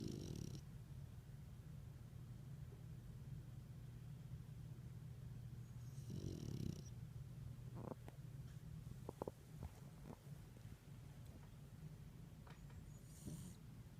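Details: French bulldog sleeping on a person's lap, snoring in a low steady rumbling drone that runs nearly unbroken, with a few soft clicks and rustles.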